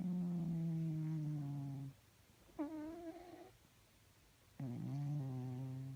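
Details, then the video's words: Sleeping cat snoring and making weird noises: long, low, buzzy droning tones lasting about two seconds. A short upward squeak comes in a quiet gap, then the drone resumes, indoors. "Snoring and sleeping cats makes weird noises"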